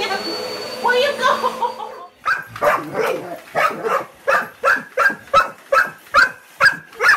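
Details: A dog reacting to a vacuum cleaner. After a short stretch of indoor noise, it barks steadily in sharp, clipped barks about every half second, a dozen in a row.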